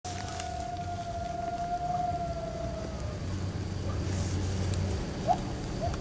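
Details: A coyote in eastern Oklahoma, recorded while camping in 2021–2022, gives one long, steady howl that sags in pitch at the end, over low rumbling background noise.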